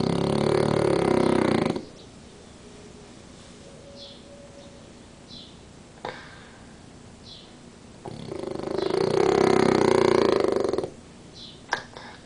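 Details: French Bulldog Danko snores through an afternoon nap with one eye open. Two long, raspy, vibrating snores of about two to three seconds each are separated by quiet breathing, with a brief click or snort near the middle and the end.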